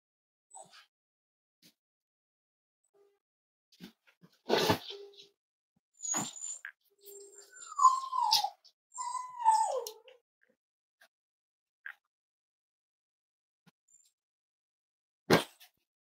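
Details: Snuggling Cavalier King Charles Spaniel puppies, kept at home as emotional support animals, on a warm Friday morning; mostly quiet with soft clicks, then two short descending whines in the middle and a sharp thump later.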